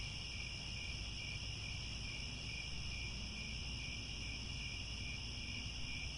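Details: At sunset in the grasslands around Angkor Wat, Cambodia, crickets keep up an unbroken shrill trill in stacked bands, slightly pulsing in the highest band, over soft low background noise.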